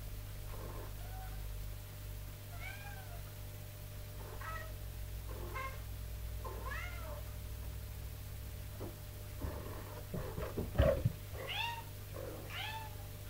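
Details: Mother cat indoors training her kittens to climb stairs, making sounds to command and call them: short chirping meows, some rising then falling, about nine calls spaced irregularly and louder toward the end, over a steady low hum.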